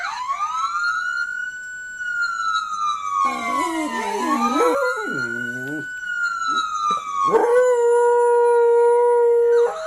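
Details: A dog howls in long, wavering tones in response to a fire truck siren that rises and falls alongside it.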